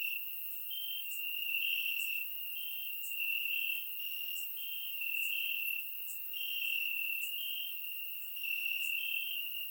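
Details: Crickets singing in the grass during a warm summer night in Bulgaria, captured in surround sound: continuous shrill trilling with clear on-off bursts every second or so, several insects overlapping, and scattered faint high clicks.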